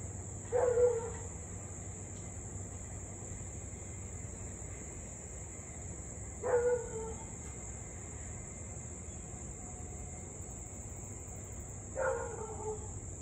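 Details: Husky in Louisville on the evening of 3 August 2021, about 6:24 pm, barking and howling for nearly 30 minutes straight; three brief mid-pitched barks spaced roughly six seconds apart, with a steady high insect drone throughout.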